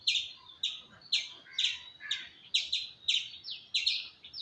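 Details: A squirrel gives sharp, bright chirps, often doubled, at irregular short intervals. A faint, lower chatter is heard between them over quiet background hiss.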